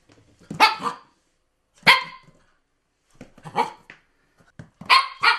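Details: Female Siberian Husky born in Sweden in November 2013, giving four loud, harsh barks spaced about a second apart, each a short broad burst with a brief quieter yap between the last two.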